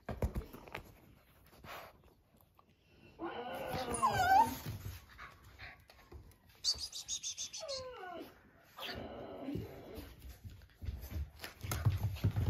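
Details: Two American Bulldog puppies, a white male and a female born August 15 to Mr. Lucky and Abby, at indoor playtime. High, thin whines that slide downward come in short bursts between scuffling, thumps and rustling.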